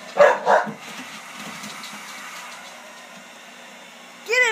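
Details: Dog, a female, barking at a hair dryer: two sharp, close barks in the first second, then a steady hum from the dryer, ending in a high, arching yip or whine.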